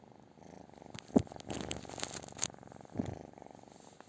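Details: Close, loud purring from a British Shorthair cat, a rhythmic low rumble broken by rustling and brief scratchy bursts of movement.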